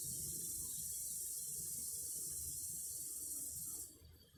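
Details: Cicadas sing in a loud, even, sizzling high buzz that runs almost four seconds before fading out suddenly near the end, over a soft low background rumble.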